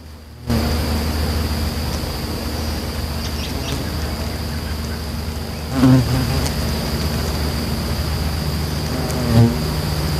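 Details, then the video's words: Bald-faced hornets at their nest taking off and landing: a steady low hum throughout, with two louder, harmonic buzzing passes near six and nine and a half seconds, and a faint constant high tone behind. "Hornets Daily Nest"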